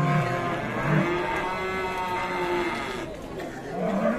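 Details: A fierce cow lows in short, harmonic moos broken up between bursts, mixed with background noise and a hint of human voices.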